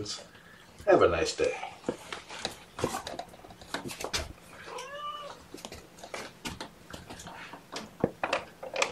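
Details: Kitten meow from Seraphina's litter of four (three boys, one girl) at Purrfect Pals, transferred from a Lewis County, WA shelter via Seattle Humane. Kittens are being handled at lunchtime. One short rising-falling mew sits among clicks, rustling and handling noise.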